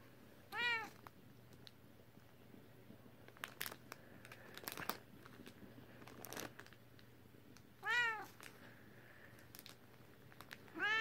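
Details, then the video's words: Tokie, a British Shorthair pet cat, meows indoors: three clear, rising-falling meows with rich harmonics, near the start, around eight seconds and at the very end, amid small room rustles and crinkling between them. "My Cute British Shorthair, Her Meow is Adorable"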